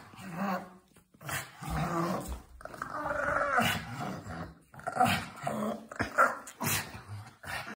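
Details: Pug dog playing with slippers indoors, giving rough, throaty growls in uneven bursts with short snorting breaths between them, mixed with a person's brief talking and rustling in a small room.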